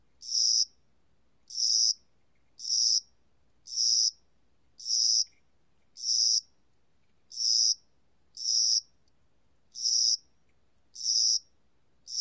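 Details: Cricket of spring and summer calling: high buzzy chirps, each about half a second long, repeated steadily roughly once a second, eleven bursts in all, over a quiet, otherwise silent background.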